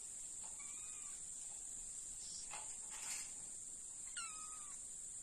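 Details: An Egyptian Mau cat gives two short, high, falling meows over a steady background hiss; meow.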